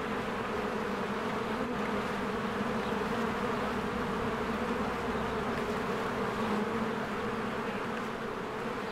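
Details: Busy honeybee hive in spring, bees flying in and out; an unbroken deep buzzing drone swells slightly in places, with faint background bird calls.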